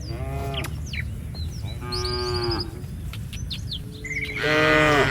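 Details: Village cattle herd roaming a street: a short lowing moo near the start, another drawn-out moo at two seconds and a louder rising moo at the end, with small birds chirping throughout and steady low traffic-like rumble.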